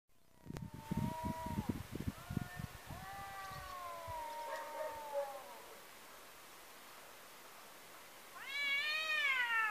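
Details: Domestic cats fighting outdoors after one was chased off and met a rival: long wavering, moaning yowls that bend up and down, overlapping, with thumping low bursts early on and a louder rising howl near the end.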